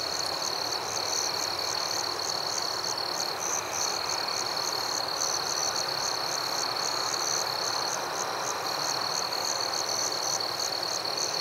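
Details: Forest crickets calling at night, giving rapid, evenly pulsed high chirps over a sustained shrill trill, with steady hissing ambience beneath.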